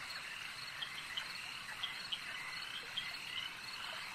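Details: A frog chorus at a lake, with many callers blending into a constant high trilling wash, punctuated by several sharp, brief clicking calls standing out every half second or so.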